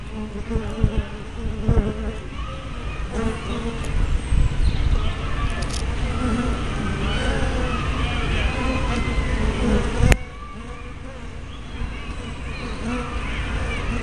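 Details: Buzzing of honey bees coming and going at hive entrances on 24 May 2012, recorded by a spy cam fitted with a fisheye lens; passing hums swell and fade against a low rumble, with a sharp click near ten seconds.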